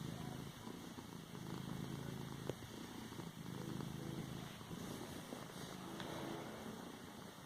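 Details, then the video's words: A pet cat padding on a pillow purrs in a continuous low throaty rumble, gently pulsing in loudness, with a faint tap partway through. "Cat padding a pillow , purring and a sneeze at end"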